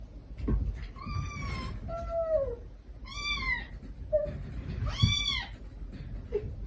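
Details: Stray mother cat and her kittens, recorded to help rescue the last of five kittens: the mother calls gently to them and the kittens answer with affectionate begging. High, harmonic-rich meows alternate with lower, shorter mewing calls, several within a few seconds.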